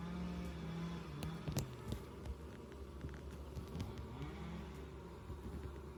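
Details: Honey bees at an insulated hive entrance in South East Texas: a steady low hum of many wings with a few louder buzzes as bees fly close, continuous throughout.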